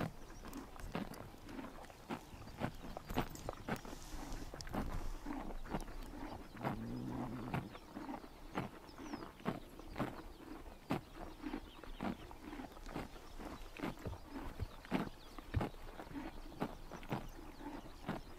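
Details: Horses tearing at grass in the summer morning sun of Mongolia, producing rapid, repetitive crunching snaps throughout, with a short low tonal sound around seven seconds and a calm open-air background.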